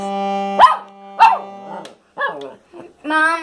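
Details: A dog sings along as its owner plays the accordion, giving short, arching howls and yowls over the steady accordion drone.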